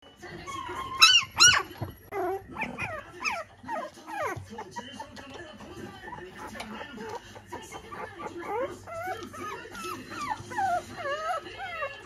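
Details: Growing Toy Poodle puppy: a run of high, squeaky whines and yips with quick rising-and-falling slides, repeated about two to three times a second, louder at the start, with some voices in the background.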